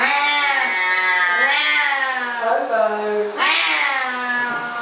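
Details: Pair of Siamese cats frantic at shower time, giving loud, drawn-out, bending yowls with strong harmonics, several calls running together with brief dips between them indoors.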